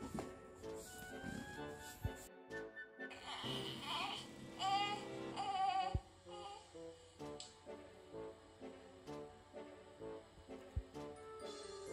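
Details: Background music with layered instruments and a brief sung passage, plus a little speech; no animal sound is heard.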